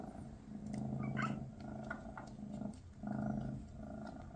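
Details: {'caption': 'Maine Coon purring with Mama Freya beside her kittens on their last day together before they move to new homes. Low rumbling purr in long breaths, each phase about a second and a half, with a short pause near the third second and faint clicks.'}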